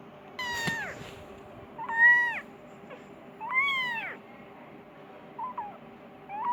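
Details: Persian kitten wanting food and calling its mother, uttering short bent meows of varied length at irregular intervals, plus a sharp click near the start and faint hum throughout.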